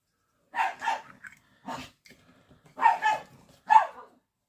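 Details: Several pet dogs playing outside and barking noisily: five short, sharp barks in quick, irregular succession over about four seconds, with pauses between the later ones.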